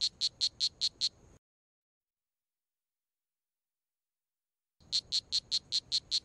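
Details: Poison dart frog giving bursts of quick, high, evenly spaced chirps, a short run at the start, then several seconds of total silence before the chirping series resumes.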